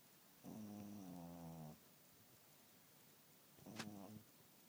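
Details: A sleeping domestic cat snoring loudly indoors: one long, steady, low buzzing snore of about a second, a pause, then a shorter snore beginning with a sharp click.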